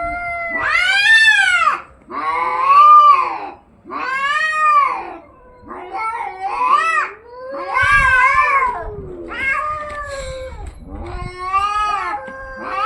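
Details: Domestic cats in a fight, loud arched yowls and caterwauls in bursts about every two seconds, each rising then falling, with short gaps of quiet between the screaming howls.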